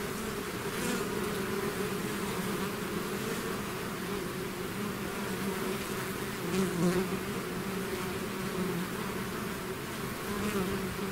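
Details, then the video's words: Bees swarming outside their hive: a thick, even buzzing hum that holds steady throughout, with faint brief ticks of passing individuals and no other animals or voices. "bees therapy swarm natural buzzing sound"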